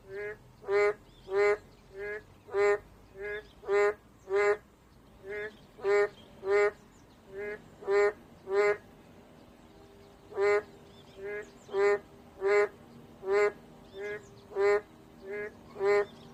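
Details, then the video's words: Long chorus of boreal digging frogs, short honking nasal notes repeated roughly every half second, louder and softer calls interleaved, with a brief gap near the middle before calling resumes. "맹꽁이 소리"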